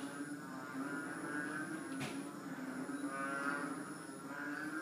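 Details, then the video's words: Chorus of small frogs about three inches long, called tugak, sounding like a herd of cows mooing: overlapping low droning calls with a steady hum and rising, falling swells, plus a constant high whine throughout. "Tugak strange sound"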